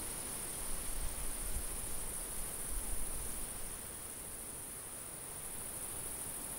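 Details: Summer field insect chorus of crickets, a continuous thin high shrill tone with faint pulsing, over gusty low wind rumble that swells in the first half.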